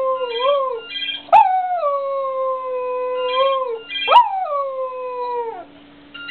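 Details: A female Cocker Spaniel "sings", howling in long, wavering tones, each starting with a sharp yelp.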